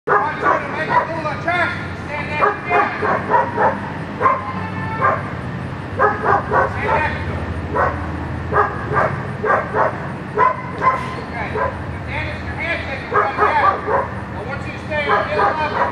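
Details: Young German Shepherd practicing a Schutzhund 1 blind-search routine during protection training, giving loud, harsh barks in bursts throughout, with a person's voice speaking over and between them.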